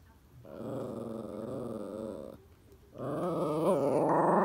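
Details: Toy Poodle El demanding a ball from Happy Hannah in a small room: two sustained, wobbling growl-whines, the second rising and more strained, separated by a brief pause.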